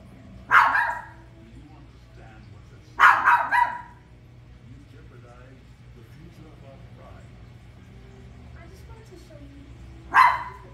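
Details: A toy poodle watching The Lion King gives a single bark, a ragged double bark soon after, then a long quiet stretch of faint film dialogue before one last bark near the end.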